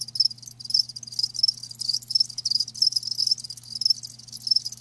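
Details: Live crickets in an hour-long natural-sound ASMR recording: dense, high-pitched shimmering chirps pulse in quick bursts about twice a second over a steady low electrical hum.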